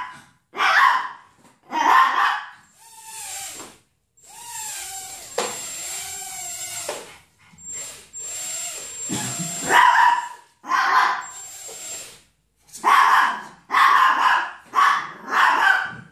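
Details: Chihuahua reacting to a Hubson X4 quadcopter flying nearby. Sharp, yappy barks come in scattered bursts, several in quick succession near the end. People talk between them, and the drone's high whine runs through the middle.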